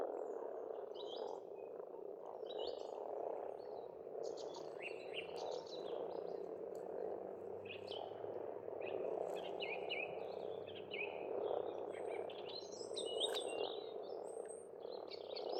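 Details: Many frogs croak together at an Estonian pond in spring, making a ceaseless, purring wall of sound. Scattered chirps and whistles from several birds sit on top of the chorus.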